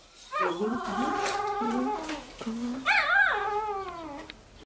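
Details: Siberian Husky puppy giving a long wavering howl that dips and rises, then a second higher rising-falling howl that slides down at the end; quiet room background.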